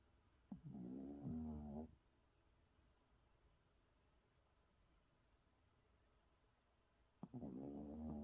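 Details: A Shih Tzu sleeping comfortably belly-up snores in slow, raspy bursts, each lasting over a second, with a long quiet gap between breaths.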